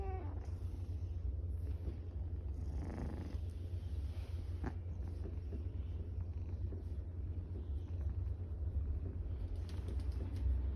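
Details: Tortoiseshell cat purring contentedly while being petted, a continuous deep rumbling purr that never stops, with faint soft rustling and small clicks from handling.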